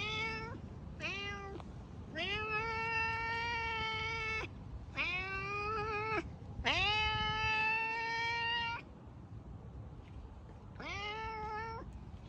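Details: Domestic cat giving loud, drawn-out meows, each a rich harmonic cry that holds steady and then falls at the end. Six calls come in irregular bursts, some over two seconds long, separated by short pauses, against a faint low background hiss.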